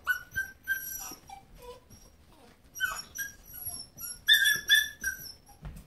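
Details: German Shepherd puppy playing with her parents Grunt and Roux: thin, high-pitched whines and squeaky whimpers, some flat and some sliding, repeated irregularly in short bursts.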